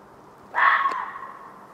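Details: Fox calling at night around 1:15 am in a back yard: a single hoarse, harsh cry lasting about half a second, trailing into a fading echo, with faint background hum.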